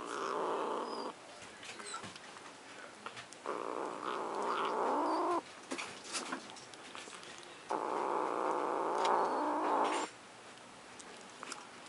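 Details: Pet cat guarding her macaroni and cheese, making long drawn-out growling moans in three sustained bouts of one to three seconds, separated by short pauses with clicks and small noises indoors.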